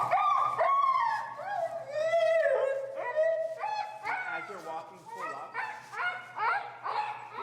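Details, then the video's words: Finnegan, an extremely vocal feral husky, protests during heel training in Chicago, disagreeing with a behavior. Drawn-out, wavering howl-like whines rise and fall in close succession for several seconds, with loud, voice-like yodeling swoops and short breaks between calls. "Extremely Vocal Feral Husky, Disagreeing With A Behavior"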